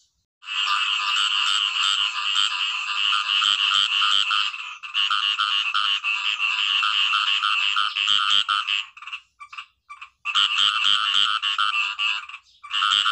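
Frogs call together in a thick, high-pitched chorus of rapid buzzy trills that overlap into a steady drone. The sound falls away for a moment near the end, then swells back just as strongly.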